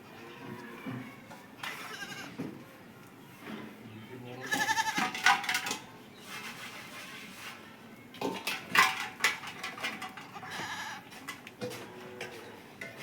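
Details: Goat eating green fodder, giving two wavering, nasal bleats in the middle and near the end, with clattering, knocking and rustling sounds between them.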